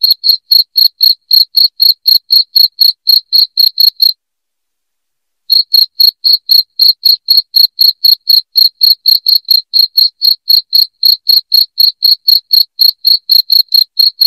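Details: Insistent cricket chirping used as a rat deterrent at home: rapid high chirps near four per second for about four seconds, a brief silence of just over a second, then the same steady chirping resumes to the end.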